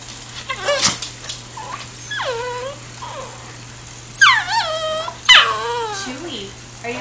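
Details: A pet dog named Chewie, eager for his walk, lets out a few high, bending whimpers and yips, some sliding downward, spaced by pauses, with a person's voice talking to him.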